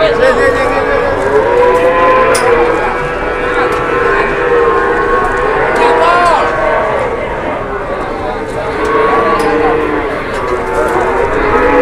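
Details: Large jumbo cattle lowing: several overlapping drawn-out, mid-pitched moos with rich harmonics, some bending upward, over steady crowd murmur and background noise.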